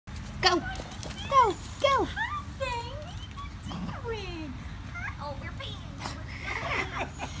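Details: Goldendoodle named Henni reunited with her owners, giving a string of high, sliding whines that swoop up and down, several per second at first and then more drawn out, while the owners speak softly to her.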